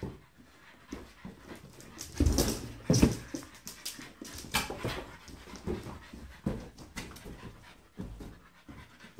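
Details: French Bulldog versus a balloon: quiet breathing first, then a burst of loud snorts and grunts with heavy thumps, followed by repeated short puffing breaths and scuffles.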